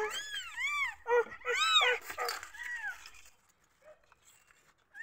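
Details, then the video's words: Newborn kittens mew when they feel insecure: a run of thin, high, arching cries, several quick in a row, then a longer drawn-out mew. A soft peep and the start of another cry follow after a quiet pause. "قطط صغيرة حديثة الولادة تموء عند احساسها بعدم الطمأنينة"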